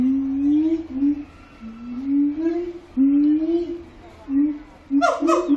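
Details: Singing siamang (Symphalangus syndactylus) in Zoo Antwerpen: long low booming hoots that slide upward in series, ending with a couple of sharp loud barks.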